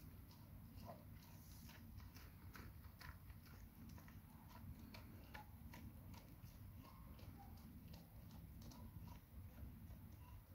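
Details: Nona, a Labrador Retriever, eats a huge grilled sandwich. Soft, uneven chewing and smacking clicks come in rapid bursts throughout, above a constant low background hum.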